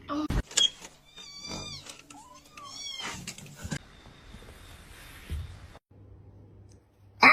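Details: Kitten crying, giving a few thin, high-pitched mews with slightly rising and falling pitch early on, then fading into quiet room noise, with soft human voices and handling sounds around it.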